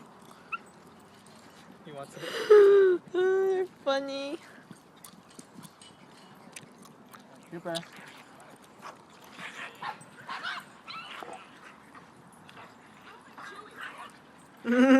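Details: Trooper the Shiba Inu tussling with Fabio over a tennis ball at a dog park: a cluster of three short, harmonic yelping cries, then scattered scuffles and human voices, ending with another loud rising cry.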